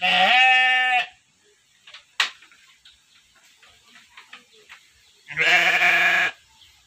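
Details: Penned Texel Merino sheep in a basic farm enclosure give two strong, wavering bleats about five seconds apart, each roughly a second long and rich in harmonics, with faint rustles and taps between them.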